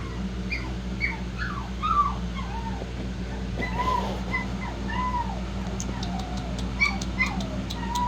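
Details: Shih-poo puppies whining in a string of arched, falling squeals, busiest in the middle, joined by faint high clicks toward the end over a low steady hum.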